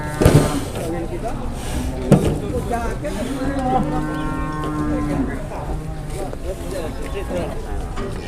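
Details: {'caption': 'Very large cattle arriving at an Indonesian livestock market: one long, steady, low moo lasting about three seconds, set against constant crowd chatter and market bustle, with sharp knocks near the start.'}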